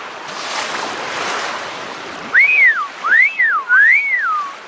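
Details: Several wild dolphins swimming and leaping behind Ilha Anchieta off Ubatuba, Brazil, give three loud arching whistles, each rising then falling, in quick succession over steady wind and sea noise.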